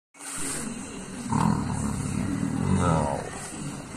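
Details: Caesar, a leopard kept close to its human 'dad', gives a low, rough, continuous rumble. It swells from about one second on, with faint tonal rises near 1.5 and 2.9 seconds and a soft voice in the background.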